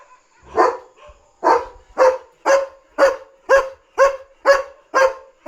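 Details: Night-time German Shepherd barking loudly and nonstop to warn of a dog outside, protecting its territory: a first bark, brief gap, then a steady series of eight sharp barks about two each second.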